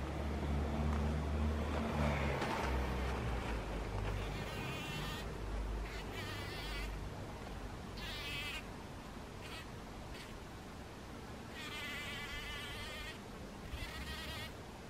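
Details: A bee buzzes in a poppy flower in short, droning bursts over a low rumble of wind.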